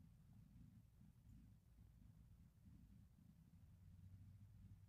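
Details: Zelda, a pet kitten, purring while relaxed indoors: a soft, continuous low rumble with a faintly pulsing texture, steady throughout, in a quiet room with no other clear sounds.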